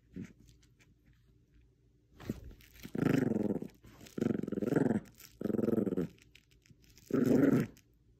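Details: Bichon Frise playing tug of war with a little stuffed squirrel indoors; four low, rumbling growls of roughly half a second to a second each, repeated at steady short gaps, with quiet background.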